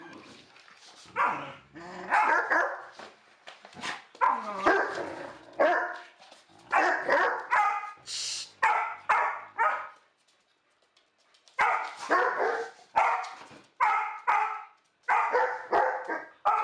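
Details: A dog barks repeatedly in rapid volleys of loud, rough barks, falls briefly silent midway, then resumes a steady string of barks roughly every half second.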